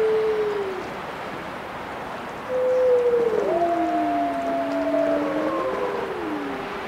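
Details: Wolves howling in chorus, several long smooth tones overlapping around mid pitch, one voice falling away early, then two or three howls rising and bending against each other in a steady, slightly hissy background.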